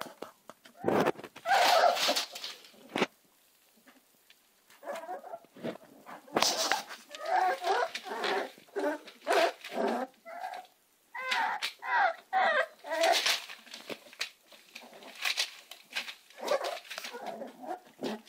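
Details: American Staffordshire Terrier puppies whine and yelp in many short, wavering, high-pitched cries, overlapping and coming in quick bursts with brief quiet gaps between them.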